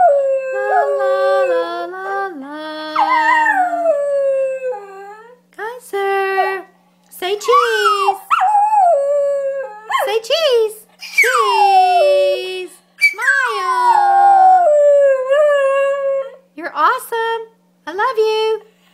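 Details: Singing Schnauzer Kyser, one year old, joins his owner in song with a string of short howls and yelping whines that rise and fall steeply, mixed with frequent human speech and singing.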